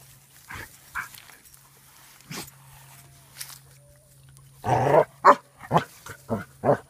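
A Basset Hound gives a few scattered deep barks, then a quick run of loud, throaty barks.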